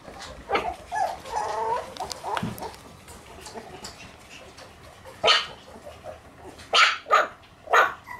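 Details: Shiba Inu giving a few sharp broadband barks, single and in a quick pair, spaced a second or more apart, among faint clicks and rustling.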